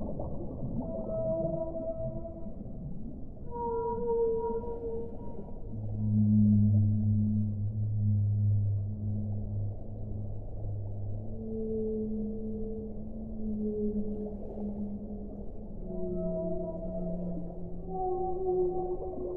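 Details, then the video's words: A whale sings a series of drawn-out tones: deep, sustained moans alternating with higher short wails, some overlapping in layered phrases, over steady low background rumble. "1 ora di suono delle balene"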